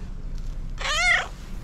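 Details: A fluffy female tabby cat gives a single short meow that rises slightly and then falls away.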